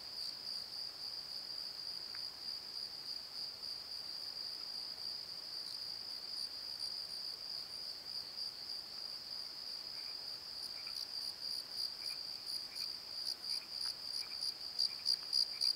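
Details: Crickets at night in a valley bottom: a continuous high, ringing trill that breaks into distinct rapid pulses toward the end, with a few faint lower chirps from other callers.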